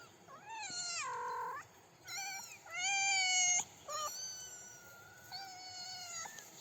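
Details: Kittens about three weeks old, taking first steps beside their mother on daisy-strewn grass, give loud high mews: a long wavering cry, then repeated drawn-out harmonic meows with short gaps between them.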